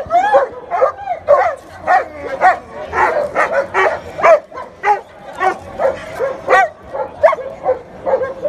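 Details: Long-coated German Shepherd puppies for sale in Delhi, India, giving a rapid, irregular run of high yips and yelps, roughly one per second, each sharp and tonal, continuing for about eight seconds.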